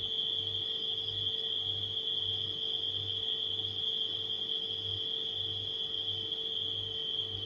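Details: Nighttime crickets, presented as a relaxation ambience: a steady, unbroken high trill runs through the clip, mixed with a refrigerator's low, softly pulsing hum and a faint midrange drone.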